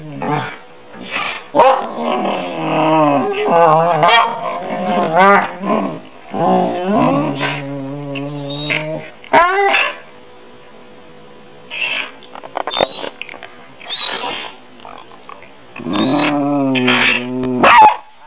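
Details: Pair of pet dogs, a half German Shepherd and a Goldendoodle, trade wavering whines, yodelling howls and low growly moans in repeated bursts separated by quiet stretches, with a faint steady hum between outbursts.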